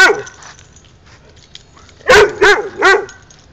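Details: Playful barking from Pikanik, a dog eager to play with Josh rolling on the ground: one bark cut off at the start, a quiet gap, then three quick barks in close succession near the end.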